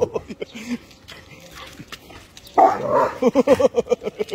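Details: Alaskan Malamute, a giant 72 kg pet dog, acting up indoors: after people talking, a rapid run of short, loud, moaning barks or woo-like yelps repeats about four times a second, with voices in the background.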